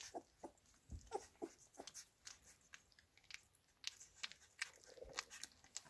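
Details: Labrador Retriever puppies eating minced beef indoors: rapid wet smacking and crunchy chewing clicks, uneven and overlapping, with a few soft squeaks in a small room.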